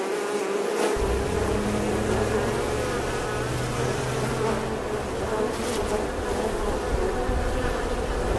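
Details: Bee buzzing steadily, a dense continuous drone with a strong band near 450 and 900 cycles, overlapping wingbeats forming a swarm-like hum throughout, with a low rumble underneath.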